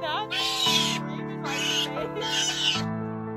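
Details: Sea otter. Three loud, shrill squealing bursts come from a sea otter, each lasting about half a second with short pauses between. A sustained musical chord hums underneath throughout.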